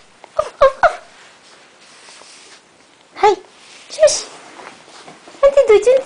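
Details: Cora, a female puppy, crying after her mother indoors: short, high, tonal whimpers in scattered bursts, some sliding down in pitch, separated by quiet pauses, with faint human voices nearby.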